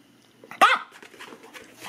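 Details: Maltese puppy indoors welcoming its owner home after an outing, giving one sharp, ringing bark with stacked overtones midway, then soft rustling and faint household noise.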